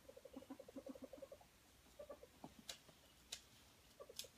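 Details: Ferret at play, a fast even string of soft clucking chuckles in the first second and a half, followed by a few isolated chuckles and sharp scratching taps.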